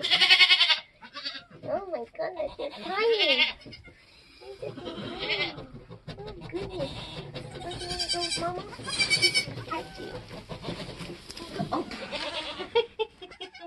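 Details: Nigerian Dwarf goats during kidding on a homestead: wavering, vibrato-laden bleats in two bursts near the start and middle, with human voices talking throughout.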